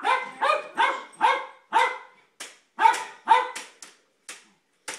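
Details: A Jack Russell terrier barks nonstop at children playing with light saber swords. Its sharp, loud barks come in a fast, uneven run of about ten within five seconds, with brief gaps between them.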